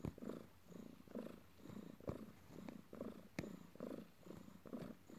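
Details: An adopted house cat purrs as it kneads its owner: a low, rhythmic rumble with inhale and exhale pulses about once a second, and a brief soft click partway through in a quiet indoor setting.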